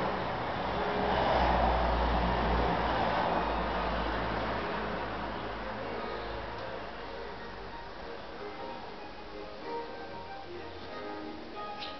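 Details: Broadband mechanical rumble and hum, like a passing vehicle or train with faint music, and no animal voices stand out.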